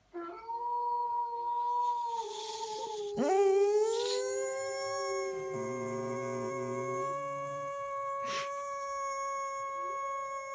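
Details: Dog. A dog howls in long, sustained tones, the voice rising after a brief break and then holding a steady, slightly wavering pitch. Faint steady tones and a brief click sit in the background.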